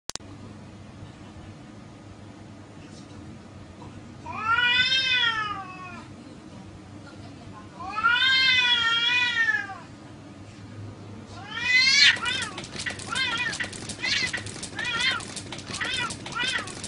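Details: Male and female cats fighting: two long, wavering, harmonic meows rise and fall around 4–6 seconds and 8–10 seconds, then a burst of rapid, rough, clustered cries with scratchy noise near the end.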